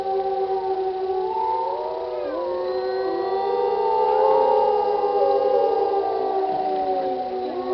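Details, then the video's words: Several wolves of a pack singing together, from an old recording; a dense blend of long, sustained howls at different pitches, wavering and sliding past one another, swelling in loudness toward the middle. "Wolf pack howl"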